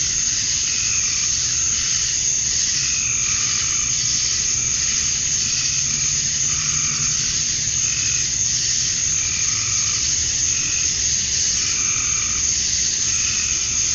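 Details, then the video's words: Male cicadas chirping to attract females at dusk on a summer night in Georgia, USA: a dense, unbroken high buzzing wall, with softer pulsed mid-pitched calls repeating roughly every second beneath it. "Cicadas at Dusk, Summer Night"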